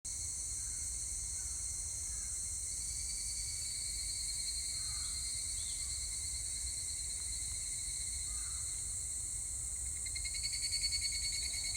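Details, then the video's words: Higurashi cicadas recorded on 25 July 2019: a steady, high, shimmering ringing holds in layered tones throughout, and in the last seconds a louder pulsing, rattling phrase rises over the chorus. "セミの鳴き声 ひぐらし"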